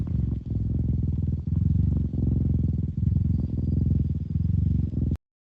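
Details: Cat's low, bass-heavy purr pulsing in quick breath cycles under a second apart, then stopping abruptly.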